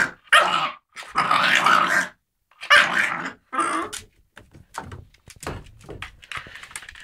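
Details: Bosco, an American Staffordshire Terrier, in play with a cat indoors: harsh growling barks in uneven bursts, then softer huffs and scuffling sounds trailing off.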